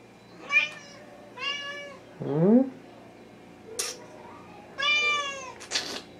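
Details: Indoors in July 2017, Rommel the Wichien Maat (Thai) cat meows repeatedly: bright, harmonic, slightly drawn-out cries about once a second, with one lower, rougher complaining call in the middle; faint Spanish speech in the background.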